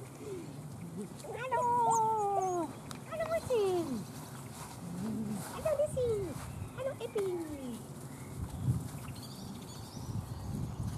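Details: Hungry Weimaraner puppies of Gloria's litter, on the mend from canine juvenile cellulitis, whining at mealtime: a series of drawn-out, downward-sliding whines with clear overtones, a few shorter whimpers and light handling noise.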